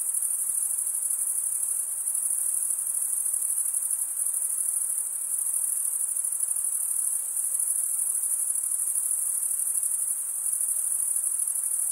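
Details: Chirping crickets, sound made by scraping one wing across the serrated vein of the other, form a constant shrill high trill with tiny pulsing ripples and a soft hiss underneath.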